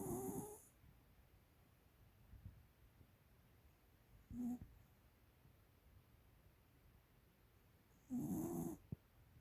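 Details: Heavy snoring by a pet 13-year-old female American Cocker Spaniel: rough, buzzy snorts at uneven intervals, a short weaker one in the middle and a long, loud, rattling one near the end, with soft breathing between.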